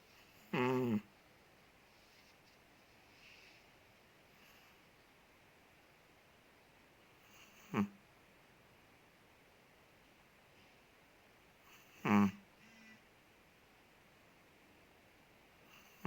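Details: Sleeping Chihuahua named Ted, a big dog from Indonesia, snores in a quiet room: three brief, buzzy, tonal snorts at uneven gaps, the first the loudest, separated by long stretches of soft background hiss.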